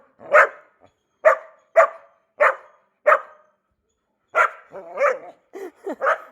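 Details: New Labrador Retriever puppy barking: five short, sharp barks about half a second apart, then after a brief pause a quicker run of higher, whiny yelps and yips.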